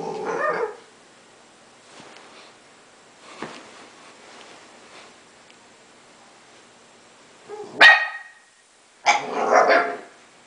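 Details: An 11-week-old Basenji puppy playing on his first day home; short broadband yelps and yips in scattered bursts, one near the start and two louder ones close together near the end, with quiet rustling between.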